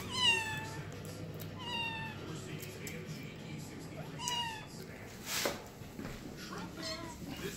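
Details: Indoor domestic cat crying: several short, falling meows repeated every second or two, bright and slightly strained, with a brief hiss-like burst and soft room noise.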